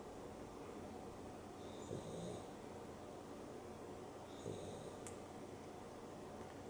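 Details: A sleeping pet dog, Dexter, snores during an afternoon nap alongside Rio, a Boston Terrier and a Beagle cross. Two breathy, snuffling snores come about two and a half seconds apart, against a quiet indoor background hum.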